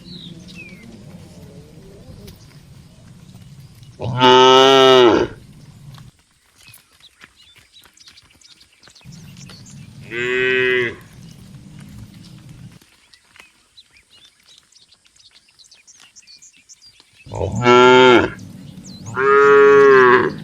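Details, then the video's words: Dozens of tame cattle walking to the barn, mooing in separate bursts with quiet gaps: a loud moo near five seconds, a softer one around ten, then two strong moos close together near the end over low rumbling. "Suara Puluhan Sapi Moo"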